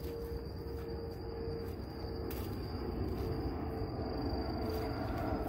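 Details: Only a low, steady rumble of background noise with a faint constant hum, and no animal voice.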